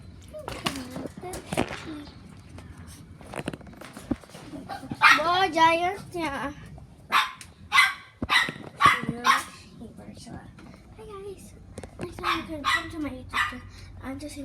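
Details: Pet dog named Giant, described as sick and noisy, indoors with its owner; loud broad barks and yelps in bursts around five to ten seconds, with a wavering whine between them, over a child's voice and household speech.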